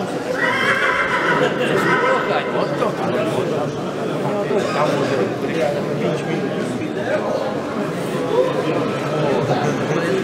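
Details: Polish coldblood mare named Balia, born 2021, sired by Roland out of Brzanka, at a breeding show where she placed first; loud harmonic whinny over the opening seconds, then ongoing chatter of people.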